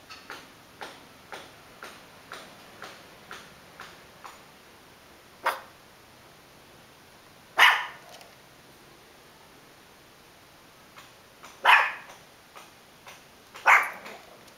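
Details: Dog barking at a cat walking past, with a steady faint ticking in the background; four loud, rough barks spread irregularly over the recording, two to four seconds apart.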